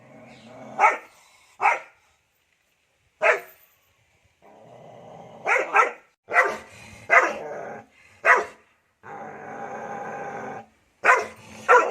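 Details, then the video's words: Guard dog barking in irregular bursts, single sharp barks and quick doubles, separated by stretches of low rumbling background noise, possibly a growl. "DOGS BARKING to Make your Dog Bark | Dog Breeds Barking Sound Effects HD"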